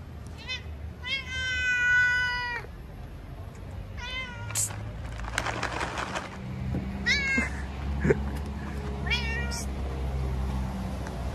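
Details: Stray tabby cat sitting on a car gives about five clear harmonic meows: a short one, a long drawn-out wail, then shorter rising and falling mews spaced a few seconds apart over a steady low hum.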